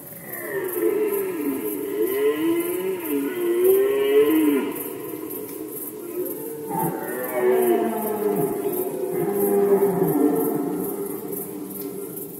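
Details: Red deer stag roaring in the 2020 rut in Poland: long, loud, gravelly bellows with wavering pitch, one running about six seconds, then a short break and another drawn-out roar.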